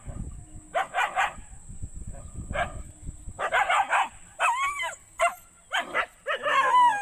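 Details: Dogs barking in quick, loud, irregular bursts, some barks sharp and clipped, others with a rising-falling yelping tone, separated by short pauses, with low rumbling background noise early on.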